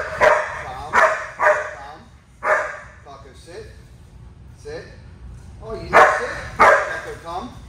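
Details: German Shepherd dog in training, jumping and not yet knowing commands, barks in short loud bursts, clustered in pairs and threes, while a trainer talks and gives commands between the barks.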